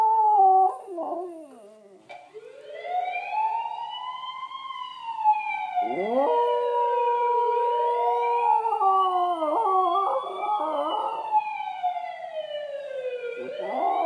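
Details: West Highland White Terrier indoors howls along to an ambulance siren playing on TV: long wavering, rising and falling howls blend with steady siren tones that sweep up and down in repeated cycles.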